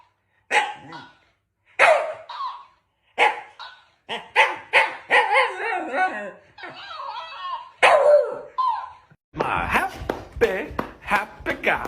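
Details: Dog in a home setting barking in short, sharp bursts, a few widely spaced at first and then coming faster and denser toward the end, with brief gaps of silence between the early barks.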